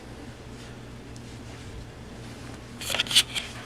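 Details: Quiet indoor room hum, then a short burst of crisp rustling and clicking handling noises near the end, with no animal voice heard.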